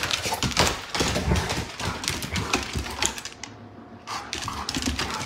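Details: Two house dogs, Gracie the Great Pyrenees and Whiskey the Golden Retriever, playing together indoors: rough low growls and grumbles mixed with scrabbling claws and thuds, with a brief quiet pause near the middle.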